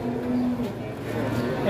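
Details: Giant Pegon cattle bull nicknamed Leher Beton at the Pasar Pon cattle market in Ambarawa, Indonesia, giving a brief, steady low moo that lasts about a third of a second, with crowd murmur and market noise behind it.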